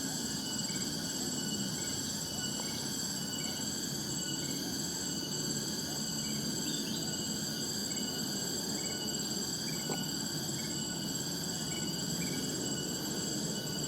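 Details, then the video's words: Wild cicadas (tonggeret) in a natural setting that recalls village life. They make a steady, unbroken, high-pitched drone of several layered tones. Short bird chirps come through now and then over a constant low rushing background. "Suara "Tonggeret" dan Suara Burung di Alam Liar nu matak Waas"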